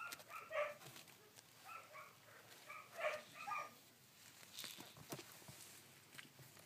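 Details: Sixteen-day-old collie pups recorded on 3 June 2013 give a few scattered high squeaky whines in short clusters, then fall quiet amid faint shuffling and knocking sounds.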